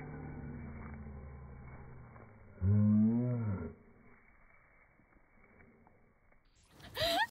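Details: A Basset Hound barks, played in slow motion: one deep, drawn-out bellow with a wavering pitch.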